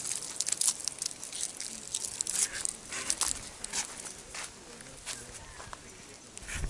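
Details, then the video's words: A big lace monitor, or goanna, in the Australian bush near a camp, angry and feeling cornered, gives breathy, noisy hisses in short bursts mixed with crackling rustles before moving away. "Big Goanna, Lace Monitor Lizard, Angry and making hissing sounds"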